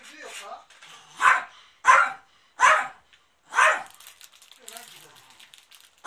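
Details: Maro-chan the dog at home on 13 March 2019 while the house is cleaned and used as a filming location; a burst of four strong barks roughly every half second to second, faint rustling afterwards.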